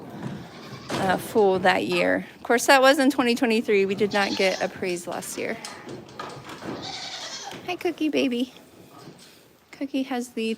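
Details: Goats bleating at The Willful Goat Farm & Home during a live stream: a run of wavering, nasal bleats from about one to five seconds, more around seven to eight seconds and a short one at the end, with people talking throughout.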